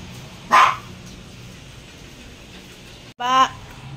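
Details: A dog giving two short barks about three seconds apart, the first noisy and the second more tonal and ringing, against a quiet background.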